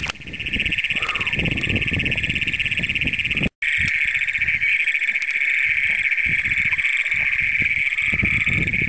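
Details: Great Plains toads, the first documented in Brown County, Minnesota, calling at night on June 27, 2010, filmed with a Canon PowerShot SX100: a loud, continuous high buzzing trill with a brief gap near 3.5 seconds and low rustling beneath.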